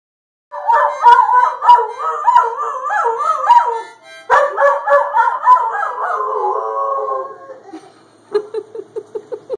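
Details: Pet dog howling along while a three-year-old girl plays harmonica; wavering, sliding howls in rapid repeated pulses, a short break, then a long trailing howl, followed by a series of short harmonica notes.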